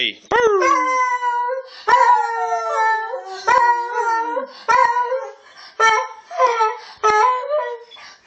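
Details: Dog howling loudly and close, a series of long wavering tones, each starting with a sharp rising yelp and sliding down or bending, repeated roughly every second, with no other sounds.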